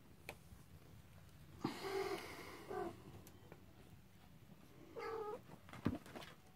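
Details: Cornish Rex and Scottish Fold kittens on their first time out: three short, tonal, slightly wavering meows spaced a few seconds apart. A quieter fourth call comes near the end, over a low, steady background hum.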